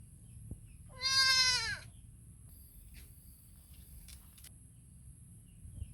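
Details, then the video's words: Kid goat calling to its mother, giving a single short, shaky bleat that sags downward at the close, then near silence with a few faint ticks. "The sound of a baby goat is so beautiful calling its mother"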